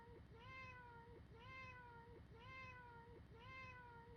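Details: Domestic cat's single meow repeated as a loop, each nasal, wavering cry lasting under a second and recurring roughly every second over a low background rumble.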